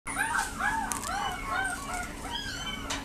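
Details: Male Shiba Inu giving a run of rising-and-falling whining calls, roughly two per second, each a high arched whine, over steady background hum.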